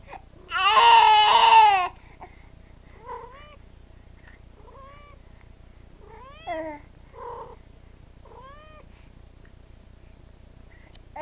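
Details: A house cat runs to help a crying baby girl indoors; a loud wailing cry opens, followed by a string of short, rising, slightly bent meows spaced about a second apart in a quiet room.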